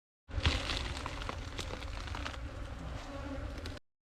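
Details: Honey bees at a small hive amid yellow mustard flowers, their steady droning hum carrying faint tonal bands throughout, partly buried under heavy low rumble and scattered clicks from handling or wind.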